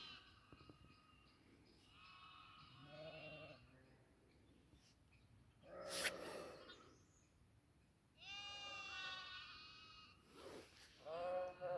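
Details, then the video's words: Farm goats giving loud, quavering bleats in bursts around two to three seconds and again after eight seconds, with a sharp clatter at six seconds and a low background hum. "goat sound"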